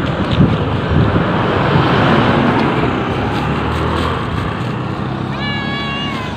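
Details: Cat in Amoranto Park, recorded on an OPPO A5s phone during a walk with petting of cats: steady traffic rumble fills most of the stretch, then one wavering, harmonic meow sounds near the end.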